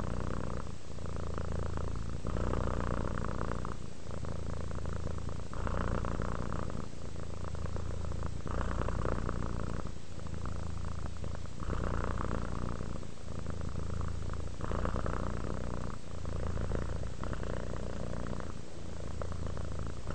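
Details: Relaxed domestic cat Rudolph purring continuously, a deep buzzing rumble rising and falling with each breath, roughly every one and a half seconds, with brief quiet gaps between phases.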